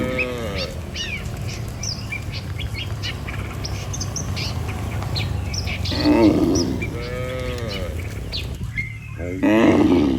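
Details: A herd of farm cattle driven by a herder toward the barn, mooing: several short, harmonic, arched lowing calls at the start, middle and end, over a steady rural hum and busy chirping birds.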